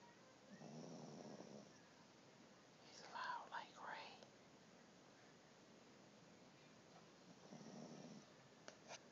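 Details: Dio, a pet dog asleep on Christmas morning, snoring indoors: two soft, breathy, rasping snores several seconds apart, with quiet whispered human speech in between.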